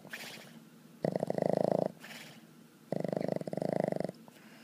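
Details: Annie, a Boston Terrier, asleep and snoring indoors: two long rattling snore bursts, each about a second long, with quieter breathy exhales between them.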